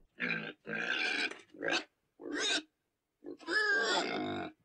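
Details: Pig letting out five sharp squeals, short rising cries and longer harsh shrieks, with clean silences between them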